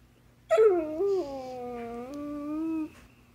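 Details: Basset hound indoors vocalizing as if trying to tell its owner something: one sustained moaning howl of about two and a half seconds, starting with a sharp higher yelp, then dipping and holding a steady wavering tone before stopping abruptly.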